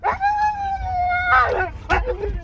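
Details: Siberian Husky, excited at the sight of deer, holds a level, clear howl for over a second, then ends with broken, yodelling yelps and whines.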